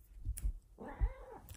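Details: A female Bengal cat indoors at night calls loudly while her owner coaxes her into the room. A single drawn-out meow arcs up and falls away, with soft thumps and low handling rumble just before it.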